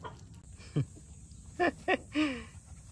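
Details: Two white rescued stray puppies act up when shut in their cage: a soft early yip, then two sharp high yelping barks about a third of a second apart, then a longer whine that falls in pitch, over quiet room hum.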